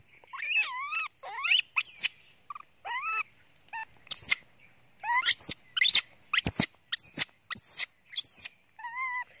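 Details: A monkey named Janny, hungry for its mother and covering its face with a towel, screams loudly in a long series of shrill calls: wavering wails at first, then sharply arched squeals repeated about every half second.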